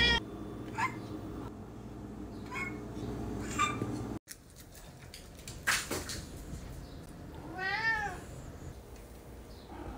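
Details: Pet cats at home on a Friday morning, one having eaten from an automatic feeder half an hour earlier: a run of short repeated meows, a louder cry, then a wavering, trilled meow near the end, with faint music behind.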